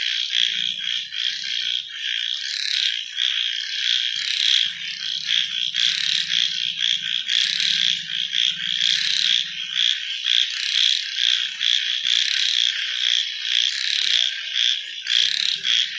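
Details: Frogs calling at night: a dense, unbroken chorus of high, pulsing trills and croaks from many overlapping callers, swelling and fading in waves, with a faint low hum coming and going underneath.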